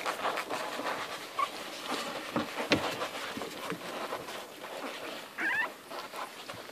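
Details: Eleven hungry Irish Red and White Setter puppies nursing from their mother Ruby: steady soft suckling and shuffling noises, broken by a couple of brief high-pitched squeaks, one near the start and a longer one toward the end.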